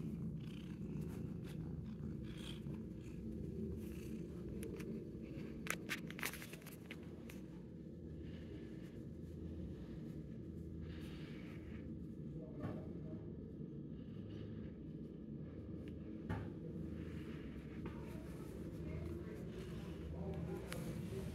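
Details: A 10-month-old shelter cat purring while enjoying attention, a steady low rumbling drone throughout with occasional soft clicks and rustles above it.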